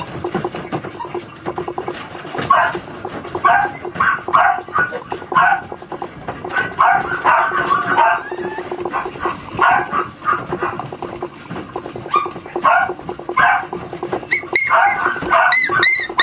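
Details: A pair of Miniature Schnauzer puppy sisters keep up a busy run of squeaky yips and short barks, with whimpers mixed in, some faint human voices, and a few thin high chirps near the end.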